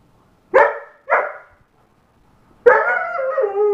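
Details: An 8½-month-old German Shepherd gives two short barks, then breaks into a sustained, wavering howl.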